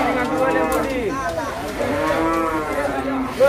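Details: Cattle at the Masbagik animal market in NTB during a market day; repeated wavering moos with bending pitch, one after another, against crowd and market background.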